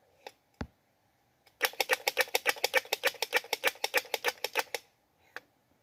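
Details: Squirrel calling to find a mate: a three-second run of about eighteen sharp, clicking chucks, roughly six per second, loud and evenly spaced, with a few isolated clicks before and after in a quiet setting.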